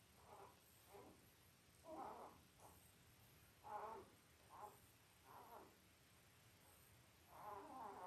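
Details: Labrador Retriever puppies five days old, from mother Belle's litter of eight born October 15, 2023, on a live puppy cam; scattered soft grunting whimpers at irregular intervals over low room noise.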